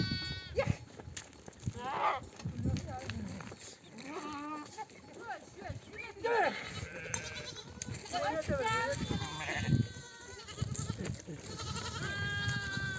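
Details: Mother sheep of a nomadic flock bleating to their lambs for nursing after grazing in the desert; many overlapping wavering bleats from several animals across the flock, mixed with human voices and scuffling.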